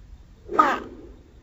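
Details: A single loud, grating cry from an angry Pacman frog, slowed down. It swells and fades within about a third of a second and has a rough, buzzy tone.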